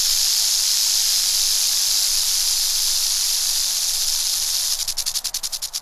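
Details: Southwestern speckled rattlesnake in the Western Mojave Desert, California, USA, rattling: a steady, dry, hissing buzz that holds for several seconds, then breaks into separate, slowing pulses near the end.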